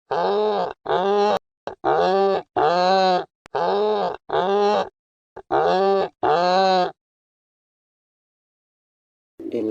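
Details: A Romagnolo donkey, an Italian breed protected in Italy, brays in a string of loud, rasping hee-haw bursts before a voice begins speaking.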